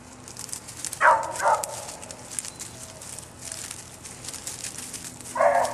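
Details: Two barks from the dog Bouncer close together, a long quiet stretch with faint outdoor noise, then one more bark at the end.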